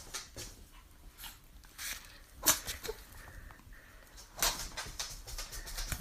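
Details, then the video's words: Chihuahua (Pomchi) named Chichi sneezing indoors in a small room: two sharp, explosive bursts about two seconds apart, with soft snuffling and light rustling around them. "Chihuahua (Pomchi) Chichi sneezing dog"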